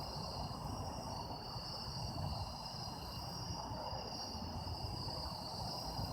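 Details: Steady shrill chorus of autumn insects, taped as sound-effect material, with continuous overlapping high trills and no pauses, set against constant low rumbling noise.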